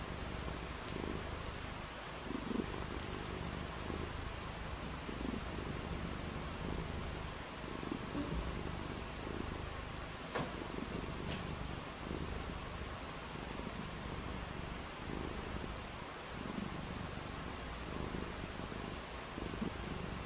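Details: Pet cat purring through a rainy day, a long, low, rhythmic rumble rising and falling with each breath under steady hiss, with an occasional sharp tick.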